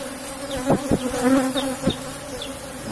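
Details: Asian honey bees buzzing around an opened box hive as their honey is taken; a steady droning hum carries throughout, with a few sharp knocks as combs are handled.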